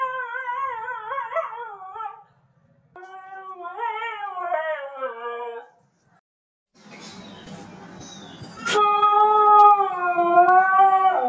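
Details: Siberian husky Nasi producing a series of short, warbling howls with harmonic bands, separated by silent gaps, then a noisy rustling stretch and a loud, sudden onset into a longer steady howl.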